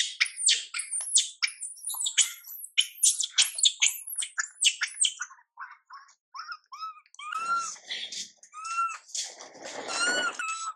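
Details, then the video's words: Crying infant monkey Mila, neglected by her mother Milika, gives a dense run of harsh shrieks, then quieter scattered squeaks and a few arched coos over some low background rustling. "Mom MILIKA doesn't care monkey MILA cry, PIty girl MILA cries out"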